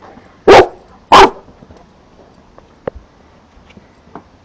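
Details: St. Bernard puppy, four months old, outdoors barking at a large green caterpillar; two loud abrupt barks close together, then only faint small clicks and taps.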